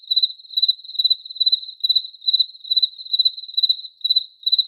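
A cricket chirps steadily, each chirp a short trill of rapid high pulses. The chirps repeat at an even pace, roughly two or three per second, with nothing else heard.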